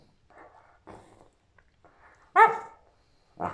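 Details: Shepherd Rottweiler mix dog at play, recorded on 17 May 2021: soft low grumbles, then one loud, rich, harmonic bark, and another bark starting just as the recording ends.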